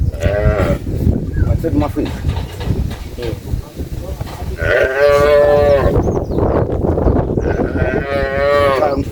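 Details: Cow that is holding back its milk from its owner; loud, deep lowing moos, two long drawn-out calls in the second half, with people talking in the background.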